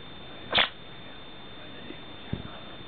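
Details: Pet Chihuahua breaking off a staring contest with its owner gives one short, soft woof. A few faint clicks and rustles follow over a steady low electrical hum.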